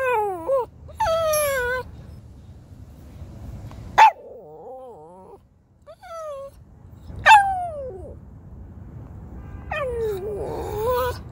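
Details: Shih Tzu in New York: high drawn-out whines that fall in pitch, a sharp yip, and a wavering moan, spaced a few seconds apart over a quiet background.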